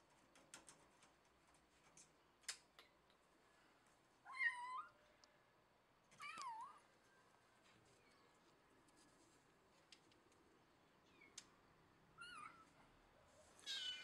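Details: Cat immobilized by a clothespin clipped to the scruff of its neck, a trick also called clipnosis, lets out four wavering, bending meows spaced a couple of seconds apart, with light rustles and taps between them indoors.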